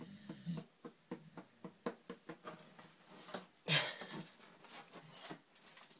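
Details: Labrador Retriever snoring heavily and unable to sleep, breathing in quick wheezy, rasping pulses about four per second, with one louder snort partway through.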